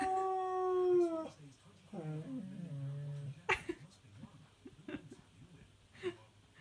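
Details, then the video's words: Husky/Malamute howling indoors along to a television advert, a long steady harmonic-rich tone that slides lower, then a shorter low wavering howl, followed by quieter clicks and knocks. "Husky/Malamute Refuses to Stop Singing"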